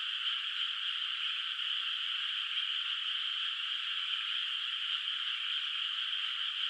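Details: Night chorus of frogs echoing over a moonlit rice field before planting: a steady, bright, hissing-trill texture of many overlapping callers that never breaks, with no other sounds.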